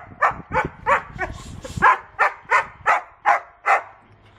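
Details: Twelve-month-old white wolfdog named Wolfie, tied to a post outdoors in England, agitated at being restrained: a steady series of sharp, whiny yelps, about three every second, each brief and strained, with faint background rustling.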